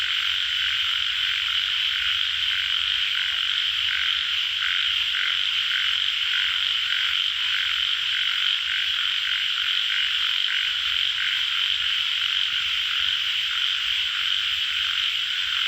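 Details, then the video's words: Chorus of tiger frogs, also known as yellow frogs: a continuous shrill buzzing hum overlaid with faint, irregular pulsed croaks throughout, with no other clear sounds. "Frog sound- Yellow Frog call Tiger Frog"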